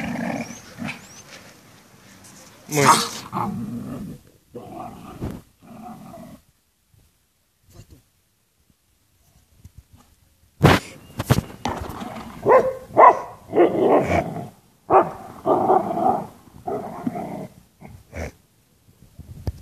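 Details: A bull terrier–schnauzer mix playing with a tyre gives rough, rumbling play growls in bursts, with a short quiet pause midway.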